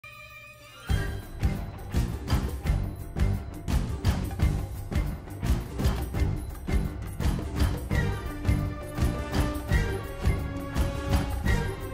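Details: Upbeat music with jingle bells and steady percussion plays throughout, with no animal sound heard.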